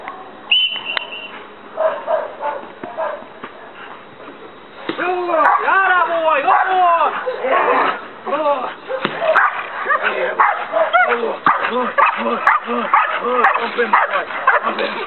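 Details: Belgian Malinois Dex, one year old, during night leg-bite training in Trinidad. Quiet stretch with a short tone, then rapid repeated arched barks from about five seconds on, mixed with a man's encouraging voice and applause.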